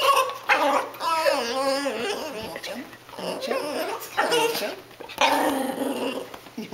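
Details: Cassie, a family dog, vocalizes indoors while begging for food, making gargling, wobbling grumbles and whines in several loud bursts, interleaved with her owners talking to her.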